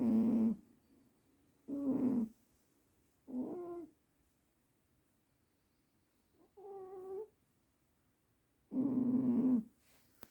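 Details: Sleeping cat Juniper snores heavily: five rasping, buzzy breaths come roughly every one and a half to two seconds. One breath is higher and more nasal, and quiet gaps separate each snore.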